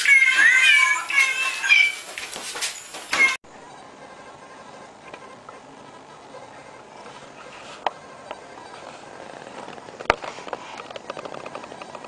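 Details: Domestic cat meowing in a funny pet clip: several high, harmonic meows bend up and down over the first three seconds along with other sharp sounds, then only quiet room noise and a few soft clicks remain.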